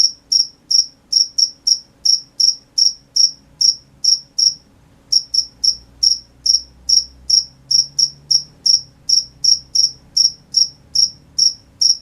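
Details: Crickets chirping at night in a fast, regular series of high, clean pulses, broken by a brief pause near the middle before resuming at the same pace; faint low-pitched background noise.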